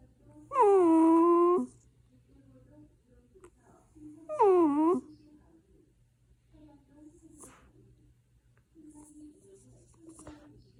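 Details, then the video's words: A drowsy puppy fussing before sleep lets out two drawn-out, nasal whines about three seconds apart. The first is steady and the second slides downward. Soft murmurs and small noises fill the quiet room between them. "강아지 잠투정"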